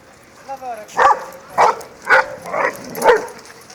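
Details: Labrador Retriever playing with other dogs: five short, sharp yelping barks about half a second apart, each bright and abrupt, preceded by a brief human voice calling.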